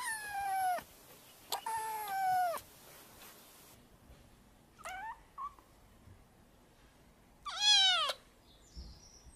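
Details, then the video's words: Kittens learning to meow: thin, high squeaky meows with falling and arched pitch, two long cries in the first three seconds, then a short chirp near five seconds and a loud arched meow near eight seconds, in a quiet room. "Kittens Learning to Meow"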